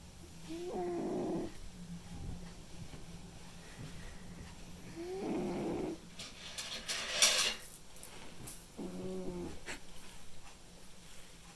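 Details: Sleeping white and ginger male cat Mimi snores in slow rhythm, with three throaty, buzzing inhalations spaced roughly four seconds apart and a brief rustling, crackly noise midway through.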